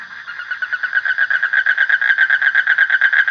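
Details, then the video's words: A frog's buzzy pulsed trill, rising from soft to loud in its first second and then steady, with rapid regular pulses on one pitch throughout. "Suara Kodok / Frog Sound"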